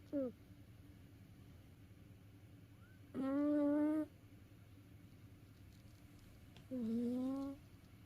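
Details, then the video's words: Sleeping house cat, tired after playing, snoring: a brief clipped snore, then two longer tonal, humming snores that rise slightly, spaced about three and a half seconds apart against a quiet indoor background. "遊び疲れた猫のいびき Snoring of a tired cat."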